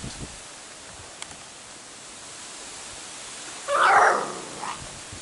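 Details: Airedale Terrier puppy from the G² litter, in the litter's last days, gives one short, wavering whine-yelp lasting about half a second, set against a steady quiet hiss with a few faint rustles before it.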